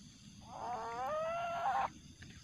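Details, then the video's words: Young common palm civet showing aggression at night before being set free again. It gives a single nasal, whining cry with stacked harmonics. The cry swells and rises gently over roughly 1.4 seconds, then cuts off sharply. "anakan musang sangat agresif di malam hari"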